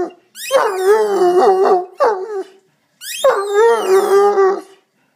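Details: Irish Wolfhound 'singing', giving two long wavering howls with a mid-pitched tone that slides and bends, separated by a short yelp and a brief pause.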